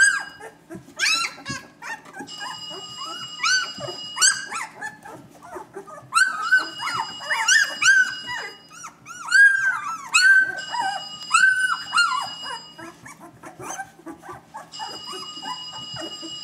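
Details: Several newborn Vizsla puppies with closed eyes crawl about, giving rising-and-falling squeals and whines in busy bursts, with a steady high tone coming and going and a faint low hum indoors.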